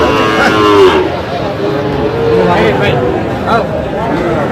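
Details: Sahiwal bull calves at a cattle market on 29 October 2025: a short moo with stacked harmonics opens, followed by people greeting and bargaining amid market chatter.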